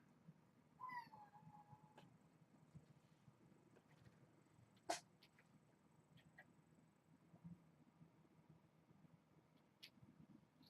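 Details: Kittens in an evening play session on 4-25, indoors. One faint meow of about a second, starting high and sliding slightly downward, comes early on. Scattered bumps, a sharp click and low background hum follow.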